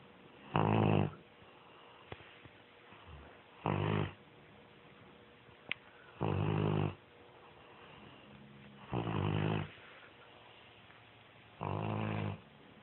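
A Bloodhound snores in deep, rumbling breaths that come roughly every two to three seconds.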